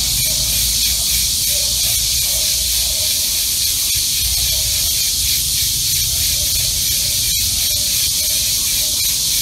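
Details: Cicadas calling in summer, captured on an iPhone recording app: a dense, steady high-pitched buzz that pulses gently throughout, with one sharp click near the seventh second and no other clear sounds.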